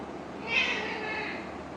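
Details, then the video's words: A kitten calling for its owner gives one drawn-out, high, thin meow that swells and fades over a quiet background. "Cute Kittens Calling Their Owner 😻 | Sweet Meows & Playful Moments"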